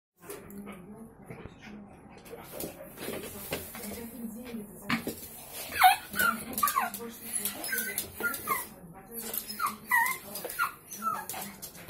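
A Yorkshire Terrier gives high, excited whines and yelps of joy, with a person talking nearby.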